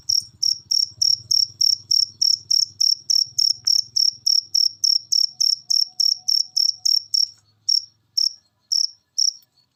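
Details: High, rasping cricket chirps in a fast even series, roughly three and a half per second, faltering and spacing out near the end. Played to get lazy pet birds singing. A faint low hum lies underneath.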